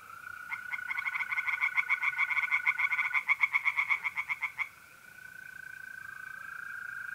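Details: Tree frogs singing in a pond on an April night in north-east Italy: a rapid run of harsh pulsed croaks, about four per second, building for several seconds then stopping, over a steady high trilling of mole crickets.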